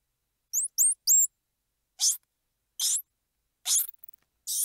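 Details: Squirrel monkey with three quick high rising chirps, then four harsh hissing squeals spaced roughly a second apart.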